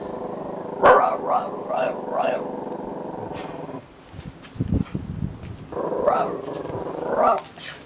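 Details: BaHa, a male Italian Greyhound kept as a guard dog, gives a run of quick, high yipping howls, then a longer wavering howl.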